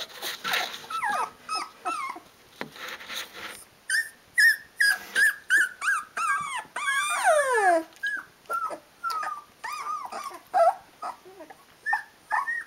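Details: Sixteen-day-old Rhodesian Ridgeback puppies calling for their mum to feed them; overlapping high, wavering whines and squeaky yelps, some long sliding cries dropping in pitch, repeated rapidly by several pups at once.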